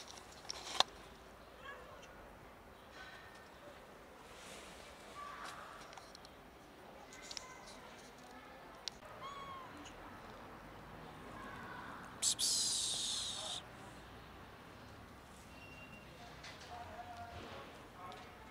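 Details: A sick-looking cat, scared to approach and eat in peace, gives faint, short mewing calls scattered through the recording, amid clicks, rustling and a brief loud burst of scraping noise partway through.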